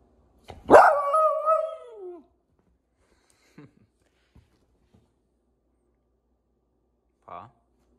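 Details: Six-month-old female Lemon Beagle at home, wanting a sweet potato snack and prompted to speak: one long drawn-out harmonic bark-howl falling in pitch over about a second and a half, then quiet with faint handling noises.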